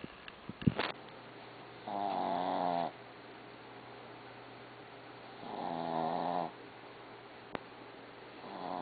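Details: Barbie the dog snoring indoors: two long harmonic-rich snores about a second each, spaced roughly three and a half seconds apart, with a low steady hum and a few sharp clicks between them.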